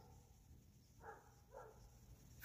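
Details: Two distant dog barks, short and harsh with a mid-pitched tone, over a low background rumble, from many dogs on a mountain barking back and forth for about an hour and a half.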